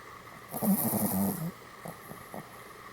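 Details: Sleeping Pomeranian dog snoring: one long, rasping, low snore lasting about a second with a steady buzzing tone, followed by a few faint, short breathing puffs in a quiet room.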